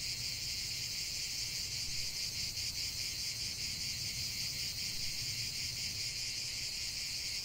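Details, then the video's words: Cicadas in a continuous 45-minute nature recording, a dense steady buzzing chorus concentrated in high pitches, with faint pulsing throughout and a low background rumble. "45 min de chant des cigales"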